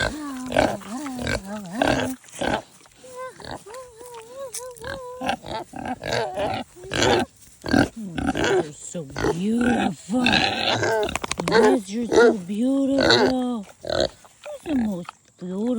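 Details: Kunekune pig vocalising: an irregular run of short honks, oinks and wavering squeaks, some rising and falling in pitch, sparse at first, then crowding into a dense, overlapping burst of squeals through the second half.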